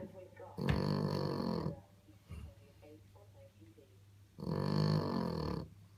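A French Bulldog snores loudly in long, rattling, low breaths with quieter pauses between them.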